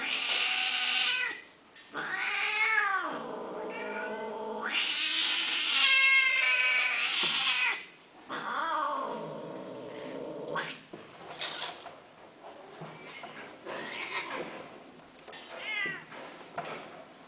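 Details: Repeated loud cat yowls and meows with strongly bending pitch, several in quick succession. Later the calls turn into shorter, quieter, broken cries.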